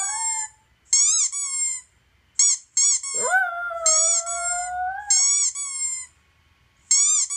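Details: Male toy poodle kept as a pet, howling at squeaky toy noises coming from a laptop. A single sustained howl swoops up sharply, then holds steady for about two seconds, surrounded by loud, high, repeated squeaky-toy bursts.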